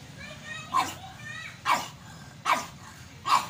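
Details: A pug gives four short sharp barks spaced under a second apart, with a person repeatedly chanting a Korean children's game phrase in the background.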